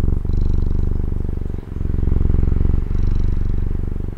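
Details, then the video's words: Taiwanese pet cat giving a dense, low rumbling purr, loud and even, broken by two short pauses as the breathing switches direction. "Satisfying Cat Purring ASMR | Relaxing Cat Purring Videos"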